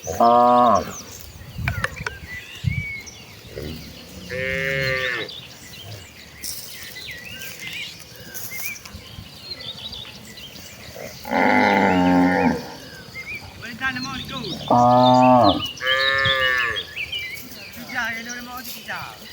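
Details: Calm village cattle going to the rice paddies to find grass; a series of loud, harmonic moos roughly every few seconds, some overlapping, with bird chirps and outdoor rural ambience.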